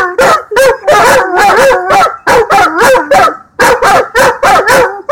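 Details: Two Old English Sheepdogs, an older long-haired male and a shorter-haired mother, howling at an ambulance that just went by; loud, wavering, yodel-like howls broken into short bursts, the two voices overlapping throughout.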